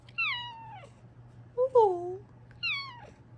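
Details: Female Bengal cat indoors, a loving pet who comes to check on her owner, gives three clear meows: the first and last high and sliding downward, the middle a short two-part mew, with a steady low electrical hum behind.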